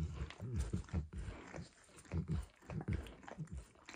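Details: Dog named Max licking eggs and peanut oil off a bumpy orange mat, close-up recording with no talking; wet, smacking licks come in quick low-pitched bursts with short pauses between them.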